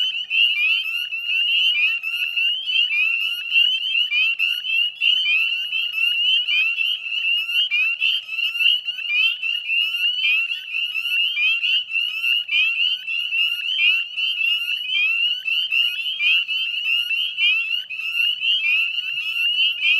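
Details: Northern spring peepers in full chorus at dusk on 18 May in West Chezzetcook, Nova Scotia, Canada, by a salt marsh: a dense wall of high, piercing rising peeps overlapping continuously, many frogs calling at once with no pauses.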